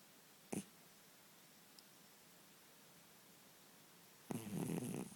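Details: Ten-year-old domestic cat snoring while asleep indoors: one rough, breathy snore swells near the end after near-silence, with a brief soft click earlier.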